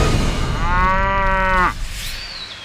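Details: A water buffalo gives one loud, steady moo of about a second, harmonic and slightly falling at the end before breaking off abruptly; low rumbling background noise before and after.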